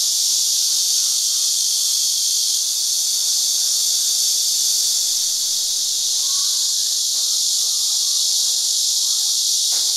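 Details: Group of cicadas on tree trunks and branches at Shangjiadong farm ranch, Tainan, calling in chorus in their season, recorded on a digital camera: constant high buzzing sheet of sound, with a few faint clicks and short distant notes.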